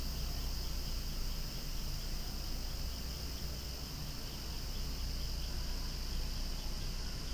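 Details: Noisy cicada chorus among flowers, a sustained high buzzing drone with a quick, wavering pulse throughout and a steady low rumble beneath.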